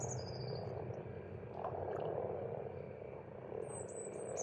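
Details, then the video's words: Massed croaking of frogs at a pond in Estonia during spring, a thick unbroken murmur, with a thin descending bird whistle at the start and another high whistle near the end. "Расслабляющее пение птиц и лягушек"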